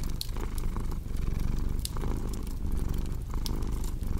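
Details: Deep, continuous purr from a cat, pulsing with its breathing about every second, while bright crackling snaps from a fire burst intermittently in the background.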